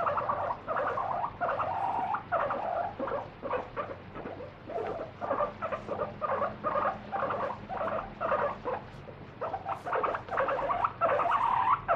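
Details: Guinea pig, a free-roaming pet, protesting as its feet are wiped during a daily body check: steady chains of short, high squeals repeated about twice a second, with soft rustling underneath.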